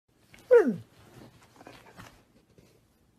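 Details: Husky puppy from a compilation of funny pet dogs, indoors: one short descending yelp-like howl with clear harmonics sliding downward, followed by faint snuffling and soft noises, with brief speech nearby.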